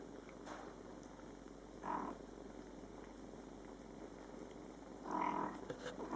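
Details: Mother cat Coco with her meowing Scottish Fold kittens, born July 22, 2012, during their first month; two short meows about three seconds apart over a faint steady hiss.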